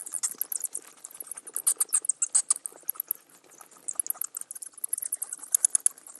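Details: Dense, continuous high-pitched chittering from bats: sharp squeaky chirps tumble over one another in uneven runs, rising and falling in loudness throughout.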